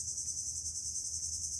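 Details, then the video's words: Crickets outdoors in a lovely open area, their sound called pleasant to the ear and relaxing: a steady, dense high-pitched shimmering trill that runs unbroken throughout, with faint low rumble beneath. "Ang sarap sa tainga ng kuliglig. Yan, kulilis na naman masasabi ko, kuliglig."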